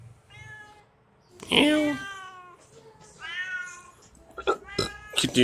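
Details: Hungry kitten calling: a soft meow, then a loud strained cry, followed by a couple of quieter wavering meows and several sharp knocking sounds at the end.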